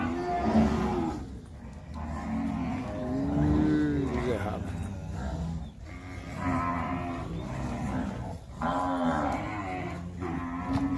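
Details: Weaning day for Nelore cattle on a farm as cows are gathered and driven: repeated drawn-out moos from several animals, in loud bursts separated by short lulls, over a constant low rumble.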